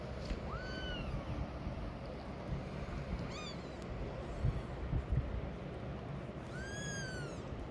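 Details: Mother cat walking away from her hidden kittens calls three times: a rising-falling meow, a brief clipped call, then another arched meow near the end, over low rumbling noise with a few soft thumps.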